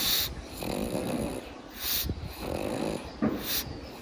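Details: Sleeping pet pug Pangpang snores in slow wheezy breaths, rasping in-and-out surges roughly once per second with a short snort near the end.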